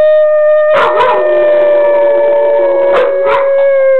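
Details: Long-haired and short-haired Weimaraners howl along with their owner: a long, steady howl held on one mournful pitch with a slight fall at the end.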